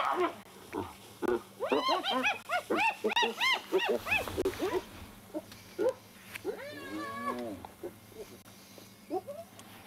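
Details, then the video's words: Spotted hyenas squabbling over a carcass taken from a leopard's tree cache at Djuma Private Game Reserve, sunrise, 1 July 2021; bursts of high rising-falling giggling whoops, then fading scattered squeals and a human laugh. "Battle Of The Carcass"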